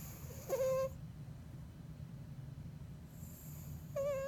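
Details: A Bengal cat snoring in deep sleep: a steady low rumble broken by two thin, whistled nasal tones at the start and end, each about half a second long.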